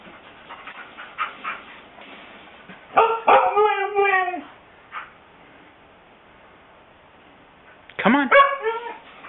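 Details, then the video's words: Pet Siberian Husky indoors, shown as a reason not to get the breed: two bursts of loud, wavering, yodel-like whining howls with stacked bright harmonics, around a second or more each, between quieter stretches as a person coaxes it. "Reasons NOT to get a dog Episode 1: Huskies"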